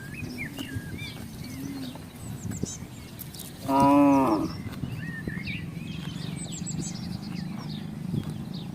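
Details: Herd of village cattle passing through housing in search of grass and a water source; a single strong, harmonic moo of about a second midway, surrounded by low background rumble and high bird chirps.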